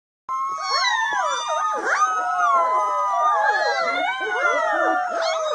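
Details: Several 3-week-old puppies from one litter, discovering their voices, howl together in thin, wavering, overlapping wails that slide up and down.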